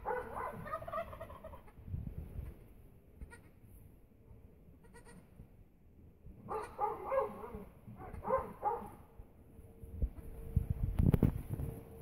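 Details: A Nubian goat that has just given birth gives loud, wavering, nasal bleats in several bursts over low rumbling noise.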